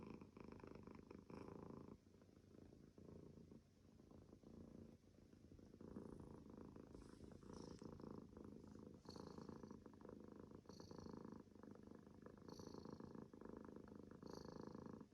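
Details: Pet cat purring and snoring, a continuous deep rumble with rhythmic breathing surges, joined by faint short high wheezy snore notes recurring about every two seconds in the latter half.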